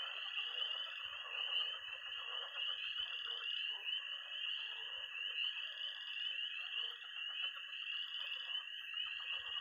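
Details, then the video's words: Night chorus of peeping tree frogs, croaking pond frogs and trilling toads at a pond in Missouri in early spring: a dense, steady wall of high peeps over a lower, continuous buzzing trill, with a few faint soft thumps. "Relaxing sounds. 20 minutes of toads and frogs, sound only!"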